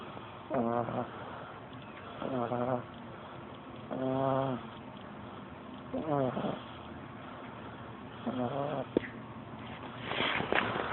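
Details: Pug puppy, 13 weeks old, snoring steadily: six nasal, whining snore bursts, each about half a second long, come roughly every two seconds over a low background hum.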